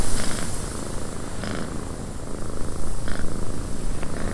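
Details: {'caption': 'Domestic cat purring inside a windy cabin: a continuous low, throbbing rumble with an uneven pulse, over a steady hiss of wind and a few short brighter gusts or rattles.'}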